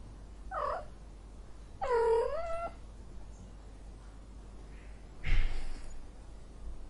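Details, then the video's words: Angry domestic cat indoors giving two harmonic meows, a short one then a longer wavering, falling one near two seconds, followed by a brief breathy hiss-like burst; quiet room hum underneath. "son de chat en colere, sonido de gato enojado, angry cat sound"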